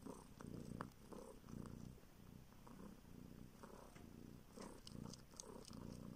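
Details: Homeless street kitten, now living in a village in northern Siberia, sucks a finger searching for milk while purring: steady low rumbling purr in pulsing phrases, with soft wet sucking clicks and smacks throughout, indoors.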